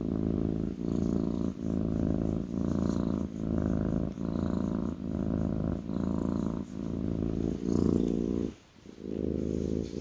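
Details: Kitten on a lap purring in a low, even rumble, pulses repeating about every 0.8 seconds; near the end the purr briefly stops for a breath, then resumes.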